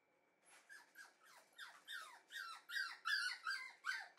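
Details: Red female Shiba Inu puppy: a run of high, squeaky yelps falling in pitch, about three per second, growing louder toward the end, in a quiet small room.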